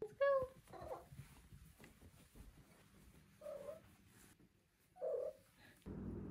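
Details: Five-month-old female Maine Coon kitten giving one short, bright, rising meow, then two soft, muffled chirping trills a couple of seconds apart. The room is otherwise quiet.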